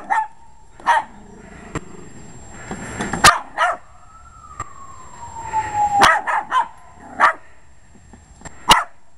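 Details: Short-legged male Jack Russell Terrier attacking a lawn mower he dislikes: sharp barks come in a loose series over the mower's droning engine, whose whine rises and falls in pitch, with clattering knocks in between.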